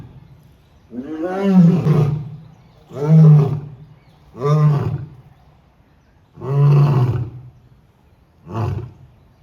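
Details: A lion at Siddharth Garden Zoo, Sambhajinagar, on 27 March 2026 gives a series of deep, moaning roars, one every two seconds or so, while turning toward the visitors.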